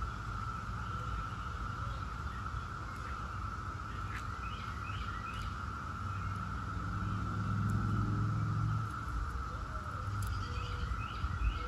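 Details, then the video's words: Brood X periodical cicadas humming in a steady chorus as scattered bird chirps and clicks come and go, and a louder low rumble swells in the middle and then fades. "17-Year Cicada Brood X Sounds"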